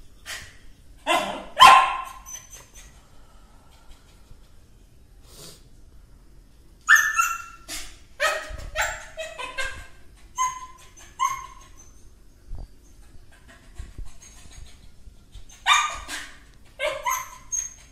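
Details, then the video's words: Dog barking in scattered bursts of sharp, high barks with quiet stretches between them, some barks doubled or tripled, over light background hiss. "Beautiful Cute Dog Barking"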